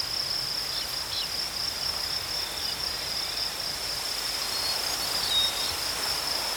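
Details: Crickets trill without a break on a single piercing high note. The background is quiet and natural, with a couple of faint, brief chips.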